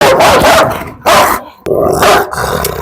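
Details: Rottweiler barking close to the microphone: three loud, harsh, rough-edged bursts, each lasting up to about a second, separated by brief gaps.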